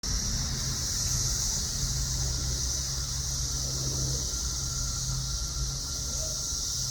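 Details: A steady, hissing summer cicada chorus in the south suburbs of Chicago rings high and unbroken over a low rumble of passing traffic.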